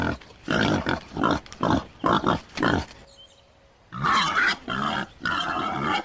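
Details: Rough, rasping wild boar grunts in a quick series, a short pause near the middle, then another burst of grunts.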